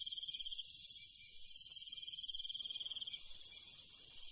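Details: A night insect chorus in the countryside, given as crickets: a thin high pulsing trill under a bright hiss. The sound softens slightly after two and a half seconds.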